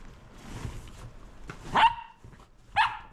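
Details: Roco, a Shetland Sheepdog, at play with a lint roller: two loud, sharp barks about one second apart after soft rustling, each a bright burst with a short falling tail.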